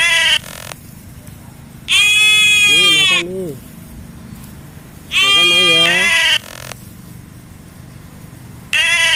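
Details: In the morning, goats in a herd of large and small animals eat while one bleats loudly in long, wavering, nasal cries repeated every few seconds.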